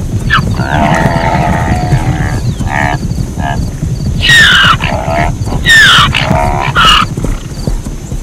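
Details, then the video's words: Zebra barking in a series of rough, nasal honks, softer at first, then three loud bursts with a squealing downward sweep, set against constant low-pitched background noise. "เสียงม้าลาย เสียงม้าลายร้อง | Zebra Sound"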